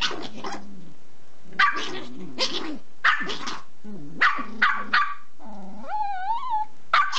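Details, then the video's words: Porthos, a six-month-old cream-sable male Pomeranian puppy, aggressive over a bone at a dacha, mixes rapid snappy barks with rumbling growls, ending in a higher wavering whine-growl before a final bark. "Злой щенок шпиц"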